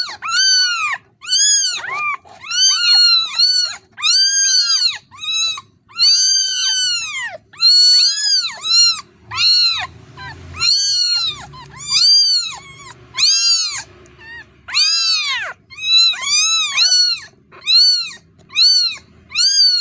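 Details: Kitten calling insistently for its mother: a long, nearly continuous run of about seventeen high, arched meows, each rising then falling, spaced roughly one second apart.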